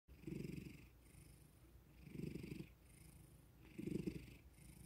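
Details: Male pet cat purring indoors, woken by petting and attention, which calms him; low rumbling purr swelling in three bursts about every two seconds, with soft hissy breaths between.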